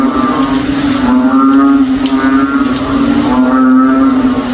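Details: Frogs sounding like a cow, heard in a backyard during rainy weather in the province; deep, harmonic moans repeat roughly every second against a continuous humming background.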